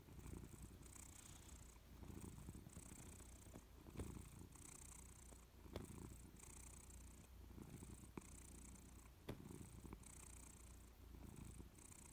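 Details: Louis, a Persian cat, purrs while dozing on a warm sofa. The low rumble runs throughout, and soft high hissing pulses come roughly once a second alongside a few light clicks.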